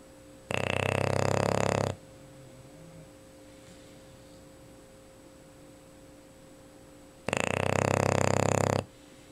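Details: Luna, a female English Bulldog, snoring while asleep indoors: two loud, rasping, broadband snores about six seconds apart, each lasting over a second, with a quiet pause between and a faint steady hum in the room.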